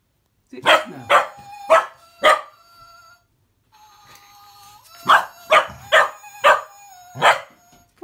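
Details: Female cocker spaniel puppy barking at a Gizmo toy's whistle: four sharp barks, a pause in which the toy's steady whistled tones sound, then five more barks in a quick series.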